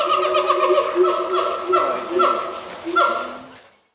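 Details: Brevard Zoo siamangs Pete and Sapphire calling on a morning from their island: loud wavering hoots and short swooping barks, fading away toward the end.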